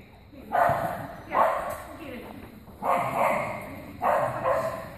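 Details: Soft-coated Wheaten Terrier Cianán barking four times in about five seconds, each bark broad and loud with a short pause between, over a faint room hum.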